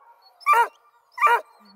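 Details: Coonhounds in a mixed crew of Bluetick, Redbone and Black and tan hounds near Kingston, Ontario, Canada, calling out to be heard: two loud, harmonic barks about three-quarters of a second apart, with faint background hum.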